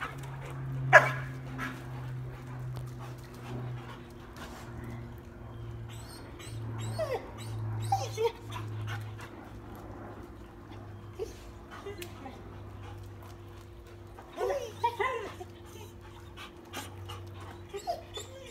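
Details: Brown Dalmatian twins pranked with a fake squirrel, giving thin, rising whimpers in short clusters, with a steady low hum and light shuffling and knocking underneath.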